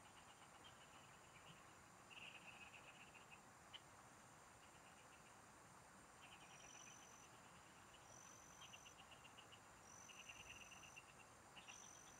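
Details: Several frogs singing in rice fields at a spot where someone is fishing: short trains of rapid, even clicky pulses come in bursts of about a second, over steady background hiss, with a thin high whine recurring every couple of seconds.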